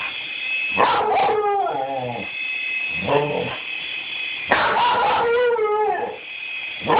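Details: Rusty, a dog, yelping at a toy helicopter: barks that slide into wavering, falling howl-like whines, two long bouts separated by a shorter lower yelp, with the toy's steady high motor tone throughout.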